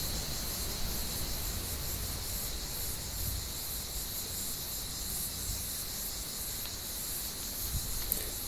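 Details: Continuous shrill buzzing of cicadas in an olive tree on a warm evening, flat and unvarying, over a soft low background hum and a faint tap at the close.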